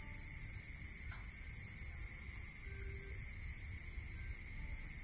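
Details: Fast, regular high-pitched cricket pulses at night in a rural area, two voices overlapping before one fades, with a steady background tone and low rumble.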